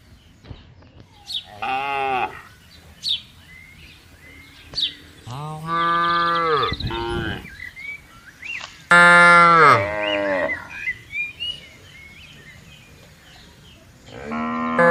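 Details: A tame cattle herd grazing in a field on a calm morning, several cows lowing in turn: repeated harmonic moos of varied pitch and length spread across the stretch, with bird chirps and quiet spells between them.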